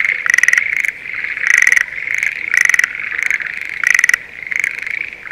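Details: Breeding-season Schlegel's green tree frog calling in a rice paddy near Sendai, Japan, in spring: strong rattling trill bursts recur roughly every 1.2 seconds, with quieter frogs trilling continuously behind.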